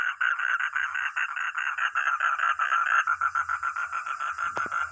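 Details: Fast rattling croaks from a frog or toad: a steady train of rasping pulses, slightly slower and more separated in the last two seconds, with faint low rumbling beneath.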